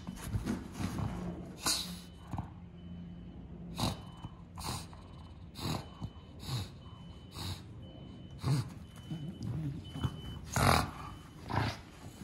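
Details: Bulldog snorting in a series of short, broadband bursts, roughly every second or so, some louder and breathier than others, with a steady faint tone underneath.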